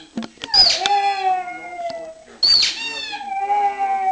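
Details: Wanting her toy, Bessy the pug gives two drawn-out howls, each opening with a harsh breathy burst and settling into a steady, slightly falling whine that trails off.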